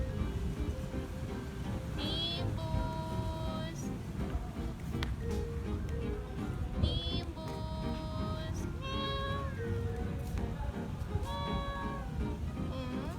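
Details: Domestic cat meows, described as communication aimed at humans rather than other cats. Several drawn-out, harmonic meows arrive in clusters, some bending up or down in pitch, over steady background music.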